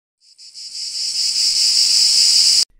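A cicada sings a steady, high, buzzing drone that swells in loudness and then cuts off abruptly.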